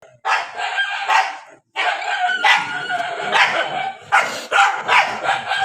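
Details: Several dogs fighting and barking in the rainy season, harsh overlapping barks and snarling bursts in dense clusters with brief pauses; a rooster-like crowing tone may blend in.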